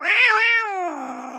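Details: Orange pet cat talking back to its owner in a home, letting out one loud, drawn-out meow that swells, holds, then sags lower and fades, with a human voice nearby.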